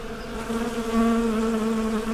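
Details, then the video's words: Close, loud honey bee buzz, a strong low hum with clear harmonic bands, briefly rising in loudness midway. "Bee Symphony: Soothing Natural Sounds for Relaxation"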